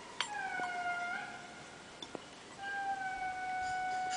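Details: Indri in Andasibe calling to each other in the early morning, heard at breakfast: long, steady, pure wailing tones held about two seconds each, with a sharp knock or click between them.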